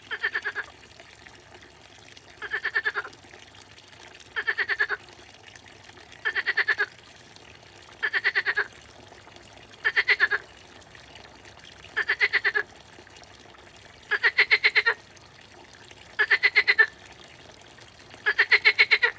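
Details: A water frog in a pond croaks in rattling bursts, each pulsed call repeating about every two seconds, with pond water sounds.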